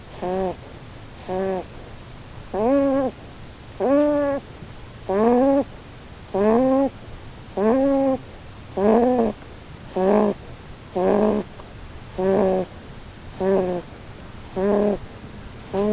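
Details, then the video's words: Holland Lop rabbit Blueberry, female, sleeping and dreaming under a Christmas tree, snores loudly and regularly: strong buzzy, nasal harmonic bursts about every 1.2 seconds, each slightly arched in pitch, with near silence between breaths. "Snoring Bunny Compilation"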